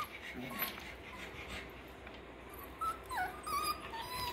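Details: Six-week-old Parson Russell Terrier and Russell Terrier puppies in a kennel pen, a few short tonal whimpers rising and falling near the end over a quiet room hum.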